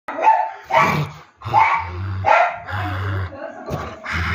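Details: Angry Dalmatian dog barking after being called for a bath; a series of loud, deep barks and growly yelps roughly every second, with a man's voice speaking Portuguese in between.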